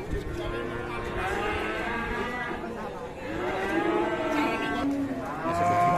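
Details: An aggressive cow gives repeated moaning moos with rich harmonics, some sliding upward then falling, run together over several seconds, over low background chatter.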